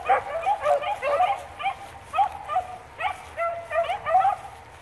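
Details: A pack of beagles tracking rabbits (cottontail, bluetail and swamp rabbits) bays in a quick, uneven run of high, yelping bursts that rise and fall in pitch.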